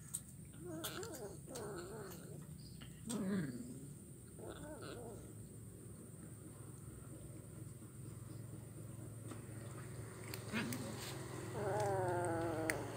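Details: Kitten chewing fish bones, recorded Wednesday 17 July 2019 in Kuala Kapuas, Central Kalimantan. Several short mews come in the first seconds, then a pause, and finally a longer, steady wavering meow near the end over low hum.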